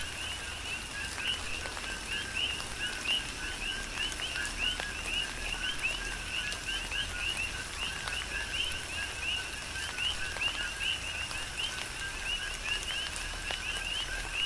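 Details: Coqui frogs chorusing on the Big Island of Hawaii during a tropical rain shower: many overlapping two-note calls, a lower note followed by a higher upward-sweeping one, repeated steadily throughout. Rain patter and dripping hiss beneath them.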